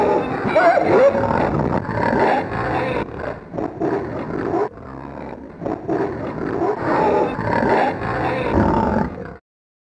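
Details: Several pigs grunting and squealing in a dense, harsh, noisy chorus of overlapping rough calls, with louder bursts near the start and end and a short quieter gap midway.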